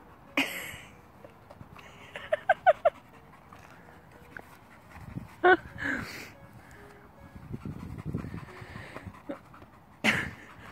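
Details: American Bulldog crossed with Jack Russell, playing ball with a toddler; quick breathy panting bursts with a few short squeaky whining notes, a child's sharp high cries and adult voices talking nearby.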